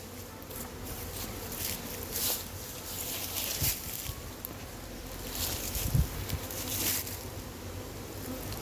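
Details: A massive wild honey bee hive being caught, giving a dense, steady droning hum with a low rumble beneath, rustling and handling noises rising and falling over it.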